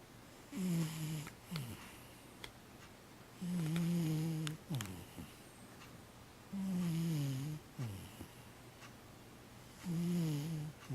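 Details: Domestic cat snoring indoors: four drawn-out, tonal, buzzy inhalations, each under a second, arriving about every three seconds. Each is followed by a short, soft, raspy exhale, with a quiet room between breaths.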